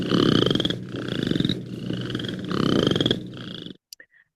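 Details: Western chorus frogs, an Ontario species calling loudly in spring choruses, give fast, rattling, monotonous trills of clicky pulses, each under a second and repeated; Western chorus frog.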